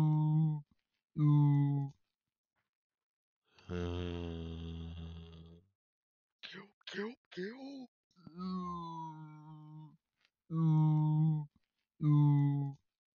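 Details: A red deer stag (Cervus elaphus) gives deep, groaning roars, short moaning bellows and one long drawn-out roar.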